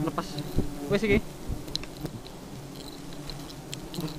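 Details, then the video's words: Very aggressive honey bees buzzing in passes, a low droning hum with stacked overtones swelling near the one-second mark, among scattered clicks, taps and faint voices. "Lebah Madu Sangat Agresif"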